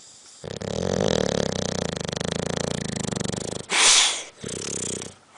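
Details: Sleeping dog snoring with a loud, fluttering, buzzy rattle held for about three seconds, followed by a sharp hissing burst and a softer rumbling breath.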